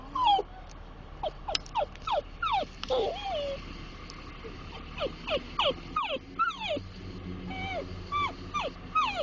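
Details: Dachshund that loves Timbits whimpering in rising excitement, growing worse as the Timbits get closer; a steady run of thin, high, falling whines, roughly two to three per second, with a low hum underneath.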